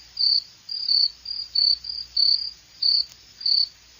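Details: Cricket sound meant for relaxing at night: clear high chirps in short pulsed bursts, roughly two per second, over a quiet faint low hum.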